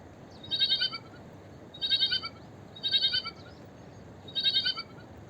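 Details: Four trembling, high-pitched bleats from a small sheep, evenly spaced about a second apart, each a short pulsing quaver, with faint hiss behind.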